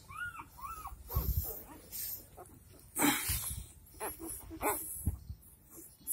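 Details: Dogo Argentino puppies only four days old, in Delhi NCR, India: two short arched whimpers open, followed by fainter whines amid loud handling thumps, rustling and bursts of noise.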